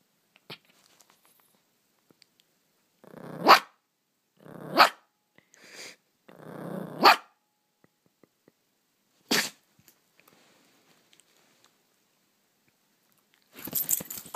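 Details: Poodle named Leko in playful pounce mode at a reindeer plushie indoors, giving a series of short breathy growl-barks roughly every one to two seconds, then a pause and a final scuffling burst as he jumps.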